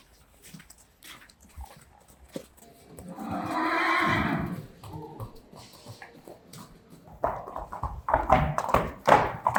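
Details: Friesian horse mare Peach at her stable, on the day she is first ridden, gives a long whinny of about two seconds that swells and fades, followed by hoof clip-clops, clicking noises and Dutch voices.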